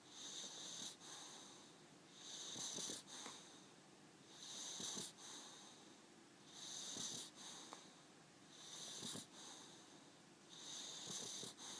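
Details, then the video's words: Boxer dog named Augustine snoring in a small room, raspy whistling inhales about every two seconds, each ending in a brief snorting catch, six cycles in steady rhythm. "Augustine's Funny Snoring"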